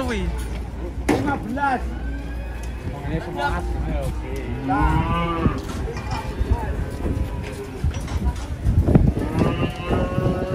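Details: Cattle coming down from a truck in Indonesia; several short moos and bellows mixed with people shouting and a low engine rumble, one clear drawn-out moo near the end.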